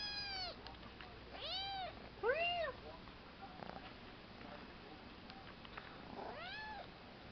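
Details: Three-month-old kitten Milo gives a handful of arched meows, each rising and falling, with the loudest near the middle and a final softer one after a pause; low background hum throughout.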